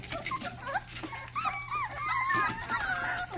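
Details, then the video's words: Young Rottweiler pups, described as very big babies from the mother's last litter, whimper and yelp in quick, uneven bursts of high, bending squeals, many voices overlapping at close range. "first barks"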